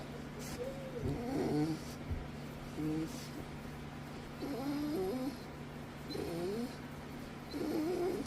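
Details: While being given attention, a dog that hardly ever barks produces odd grumbling, warbling moans, each burst bending up and down in pitch, repeated every second or two against a constant low droning hum.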